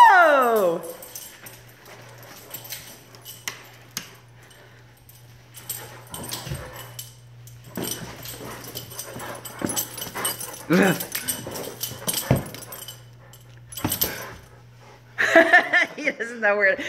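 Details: Great Dane named Nash, a zoomie dog, during a nightly chase game: a sliding whine falling in pitch opens, then scattered short yips and scuffling thumps, ending in a burst of wavering high whimpers, over a steady low electrical hum.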